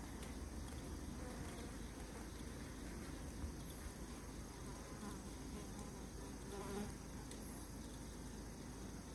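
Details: Honey bees ganging up on and fighting an Asian giant hornet give a steady, low, droning buzz that holds evenly from start to finish.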